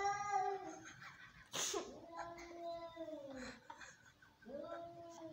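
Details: Domestic cats in an angry fight give low, bending, moaning yowls, with a harsh hissing spit near the start and further sliding wails after it. Faint voices are heard in the background.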